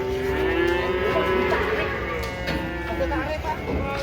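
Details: Large cattle unloading from a truck in Indonesia; a sustained low lowing with layered harmonics, repeated short voiced pulses, mixed with voices and engine rumble.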